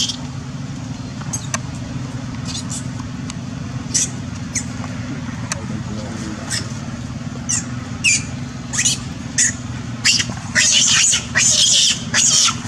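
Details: Bitten young female monkey, pursued by Duchess, cries out for her group's help: scattered sharp squeals at first, building into loud, shrill scream bursts near the end, with constant low vehicle rumble beneath.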